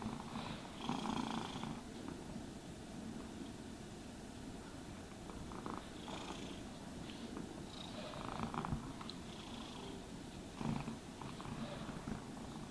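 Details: Domestic cat purring steadily while being brushed and groomed, a low continuous rumble with rhythmic brush strokes sweeping across it about every second or two, indoors and quiet otherwise.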